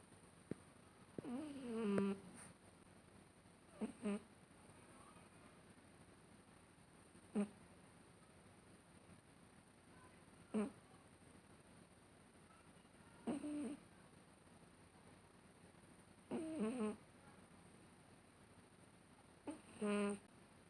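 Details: Female domestic cat making funny sounds while asleep: six short, squeaky, tonal chirps and mews at irregular intervals of about three seconds, some with a falling pitch, over quiet background hiss.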